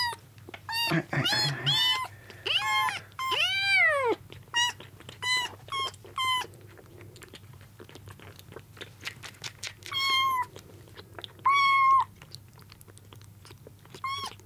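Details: Several rescued kittens squabbling over milk indoors on their second day in care: rapid series of shrill, arched mews, some long and swelling, the rest short, thinning out toward the end, with occasional rustling.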